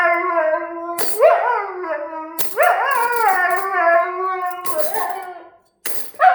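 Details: A Siberian Husky howls on hearing cutlery sounds, long wavering tones that rise, hold and slide, with brief clinking sounds between.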